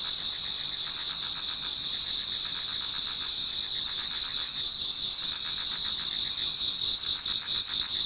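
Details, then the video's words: Autumn insect chorus in a Japanese garden near dawn, several insects singing at once; continuous high-pitched ringing with fast pulsed trills repeating around four times a second, steady and unbroken throughout. "Autumn Insects voice Towards dawn"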